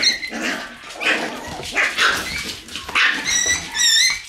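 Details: Several Shiba Inu puppies in their room on the morning of November 11 yap in short, bright bursts about once a second, then finish with high, wavering, whistle-like whines.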